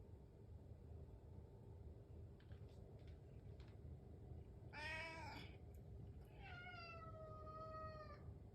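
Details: Indoor house cat meowing while waiting for breakfast in the morning; after soft faint sounds, one short harmonic-rich meow then a longer, steady, slowly falling meow, over a low background hum.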